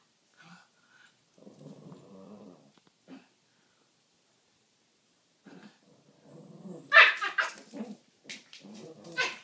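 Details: Two Pekingese dogs playing together give low, rumbling harmonic growls in two drawn-out bouts, the second broken by a sharp, louder yelp-like outburst and scuffling noises.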